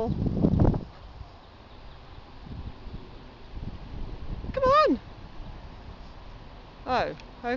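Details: Jade, a 10-year-old female German Shepherd, playing ball and reluctant to give it back: two wavering, bending whines with falling tails, a few seconds apart, between a person's spoken commands over low background rumble.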